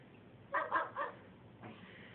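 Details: Pet dog indoors after a walk, barking for food: three quick muffled barks in a row, then a fainter fourth, all fairly quiet against a low background hum.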